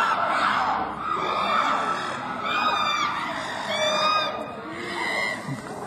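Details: Bald, hairless chimpanzees fighting and chasing each other at a zoo: shrill, overlapping screams in repeated rising-and-falling arcs, high and harsh, over a steady noisy background.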